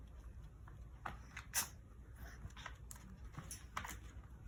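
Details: Shih Tzu named Mighty sneezing indoors, one sharp, hissing "shah" burst at about a second and a half, with soft rustling and small clicks before and after.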